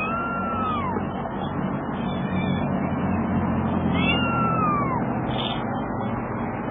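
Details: Cat meowing as a mother cat rescues her kitten: two descending, slightly wavering meows about three seconds apart, each lasting under a second, over a constant droning hum.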